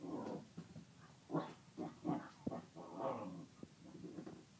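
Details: Kerry Blue Terrier with his bone, low throaty growling and grumbling in short uneven bursts, with breathy pauses between them.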